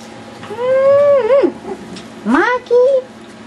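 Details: Yorkshire Terrier puppies playing wildly indoors give high, tonal whining yelps: a long sustained whine that bends and drops, then two shorter rising yips, with a woman's soft voice nearby.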